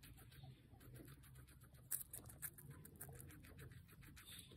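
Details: Pet guinea pig Pancake chewing bell pepper, producing a rapid, fairly even patter of soft crunching clicks with one sharper bite midway, against a quiet indoor background.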